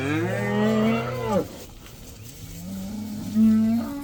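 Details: Cattle going outside for the first time, about 80 in the herd: one long steady moo that sinks at its end, then a softer rising moo that swells after a brief pause.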